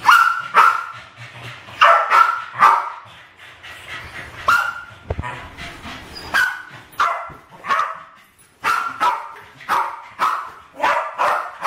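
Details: Two Westies about 7 and 8 years old in a kitchen, 2012, playfully trying to kill balloons: bursts of shrill barking with a brief quieter pause near the middle, a thump around five seconds, then renewed rapid barks.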